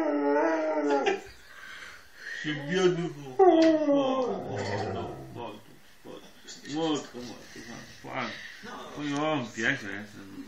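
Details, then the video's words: A Siberian Husky howls in wavering, rising and falling yowls after being teased by a family member, with a human voice nearby. "Huskey Dog Howling"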